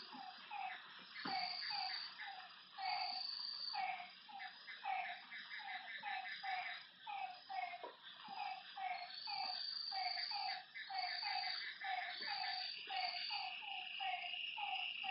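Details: At night beside a lake, frogs give a steady run of brief, low croaking notes in quick succession, many callers overlapping, while high insect trills buzz in waves and a continuous faint whine sits above.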